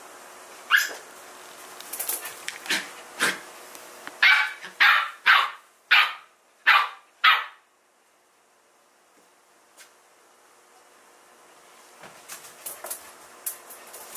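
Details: Samoyed dog at home playing with an older housemate dog named Moko; a run of sharp yipping barks, about nine in quick irregular succession over seven seconds, then quiet and a few softer barks near the end.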